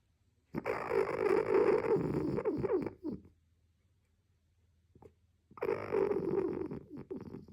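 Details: A sleeping raccoon snores very loudly and heavily: two long, rough, rasping bursts, each about two and a half seconds, separated by roughly two seconds of near silence.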